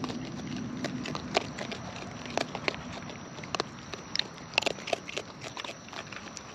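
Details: Close-up of wild raccoons feeding: loud, scattered crunches and wet clicks of chewing in short bursts, with a faint steady high hum and low outdoor rumble behind.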